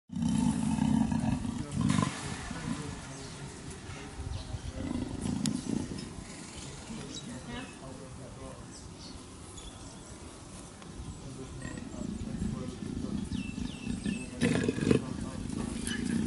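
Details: Captive female black leopard in heat at Cheetah Experience, pacing her enclosure and roaring to call male leopards; deep rasping bursts open the recording, it fades quieter midway, then rough repeated roars return near the end with some voices.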